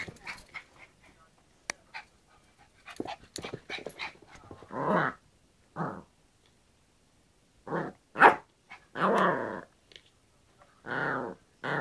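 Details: A Yorkshire Terrier tussling with a hairbrush gives bursts of rough, growly barks and short growls, spaced a second or two apart, with clicks and scraping from the play in the gaps.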